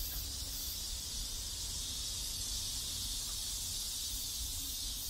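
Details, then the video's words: Cicadas singing in a neighborhood in South Korea: a dense, steady high-pitched hiss that holds without a break, with a low rumble of background noise underneath. "South Korean Neighborhood Sounds Cicadas"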